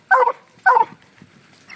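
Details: Two loud, sharp barks about half a second apart from FOG, a Black and Tan Coonhound treeing a coon released from a cage, followed by quiet.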